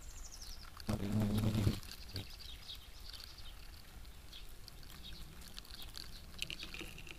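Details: European hornet (Vespa crabro) in action: a loud, low, harmonic buzz lasting under a second, then faint high chirps and light rustling in the background.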